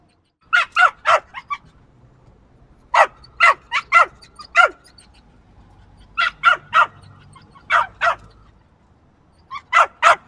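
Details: Small dog yapping insistently: bright, piercing barks fired in runs of three or four, repeated every couple of seconds with a low background hum.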